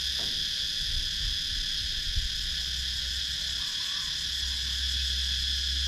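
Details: Cicadas in Sakon Nakhon's rural woodland, Thailand, on GoPro Hero 9: continuous shrill, layered buzzing held at one pitch throughout, over a steady low hum and a few faint low bumps.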